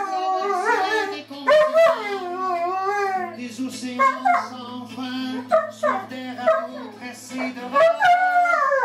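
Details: Pet Siberian husky singing indoors: a run of short, wobbling howls and yelps in quick succession, each swooping up then down, over a constant low musical hum.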